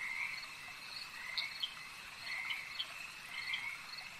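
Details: Lakeside frogs croaking in short, rasping bursts that come roughly once a second over a continuous high-pitched chorus, with a few sharp chirps mixed in.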